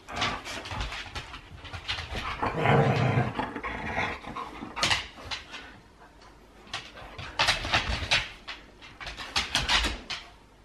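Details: Huskies playing rough in a wrestling match, a mock fight: deep growls peak early, followed by clusters of sharp, breathy huffs and pants that come back in uneven bursts.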